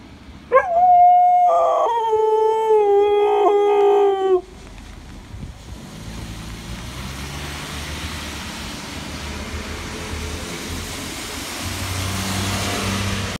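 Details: A dog gives a long, sliding howl lasting about four seconds, wavering and falling in pitch, followed by quiet background noise.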